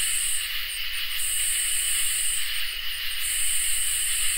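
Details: Crickets and katydids in a summer night chorus, with an even high drone plus an upper buzzy band that stutters into short pulses for about two seconds before returning to a long continuous buzz.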